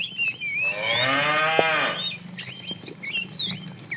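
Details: Cow from a tame herd wandering far looking for food: a moderately loud, drawn-out moo of about a second and a half, overlaid and followed by lively bird chirps and whistles.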